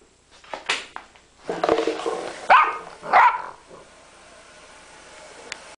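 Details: Puppy learning to bark indoors, giving a few short yips followed by two louder rough high barks, then quiet.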